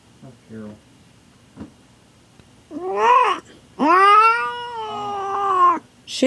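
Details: Pregnant domestic cat in labour with her first litter, indoors: after faint background noises, one rising-falling cry followed by a long, loud, sustained yowl that sags slightly in pitch, with a person's voice nearby.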